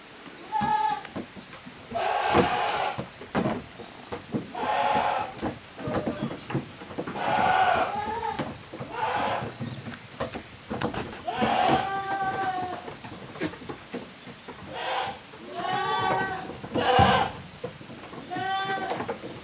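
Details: Kids of the goats Koharu and Okayu at play in two teams on the Yoshigake handmade goat farm yard, 13 June 2023, bleating again and again: a string of roughly ten short, quavering, nasal cries with knocks and scuffles in between.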